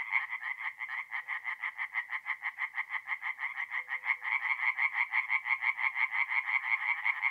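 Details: Tree frogs singing at night at a forest pond in north-east Italy in mid-April: a fast, steady train of harsh, nasal pulses, about three per second, with one caller overlapping another.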